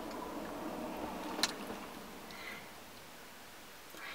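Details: Soft whispered speech and a single tick in a small indoor room, with no animal voice.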